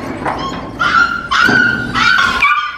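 A puppy gives high, whiny yelps in a quick series, begging to nurse from its mother.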